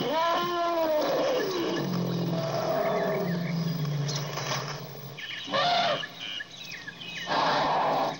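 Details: Elephant opening with a wavering trumpet that bends down in pitch, then a long deep rumble lasting several seconds, followed by short harsh blaring bursts spaced about two seconds apart.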